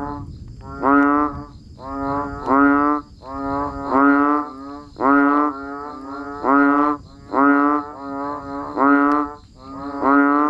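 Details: Frogs, including banded bullfrogs, calling in the rain: repeated harsh, nasal, honking notes in quick succession, some overlapping, over a low murmuring background noise and a faint high-pitched hum.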